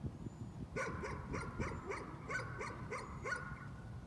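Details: Dog engaged in nuisance barking, letting out a brisk series of about eight sharp barks, each roughly a third of a second apart, over a low rumbling background.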